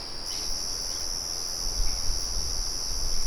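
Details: Crickets sustain a high, even trill. A faint bird note sounds near the start, and a rumbling low murmur from a windmill swells toward the end.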